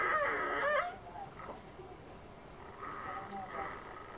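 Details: A three-day-old female Siberian Husky puppy, feeding while her littermates sleep, gives high, thin squealing whimpers that rise and fall in short bursts.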